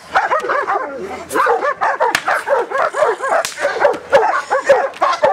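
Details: Giant Schnauzer giving a rapid, continuous series of short, overlapping barks and yips with hardly a pause, loud and close throughout.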